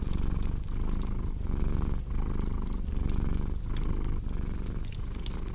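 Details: Loud close purring from a cat, low and buzzy, with clear breathing cycles about every 0.7 seconds, alongside crackling fireplace pops, part of a relaxing sleep soundscape.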